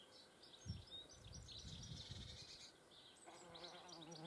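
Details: At a feeding place, a German wasp's wings make a short droning hum of about a second near the end, rich in overtones. Before it come rustling, soft low thumps and bright bird chirps overhead.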